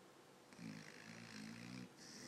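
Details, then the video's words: A sleeping dog snores: one long, low, rattling inhalation lasting over a second, with a softer breathy exhale following, in a quiet indoor room. "Snoring Dog"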